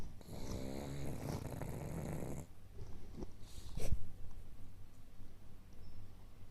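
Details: Two-year-old pug named Hina snoring while sleeping comfortably; a steady low rasping snore for about two and a half seconds, followed by softer breathing and a brief rustle.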